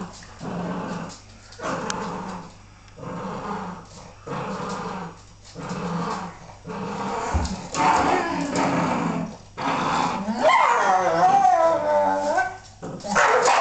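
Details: Bull Terrier bitch play fighting with her pups indoors. She retaliates after a pup bites her face. Low rhythmic growls come in bursts about once a second, then rising and falling whining yelps near the end.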